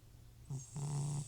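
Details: FIV-positive elderly cat Butcher snoring in sleep: a short snort, then a longer steady low rasping snore with airy hiss, all within a second.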